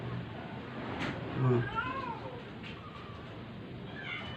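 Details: Sick, dying stray cat being force-fed to survive gives a faint, short rising-falling meow in the middle of a steady background hiss, with a soft thump just before it.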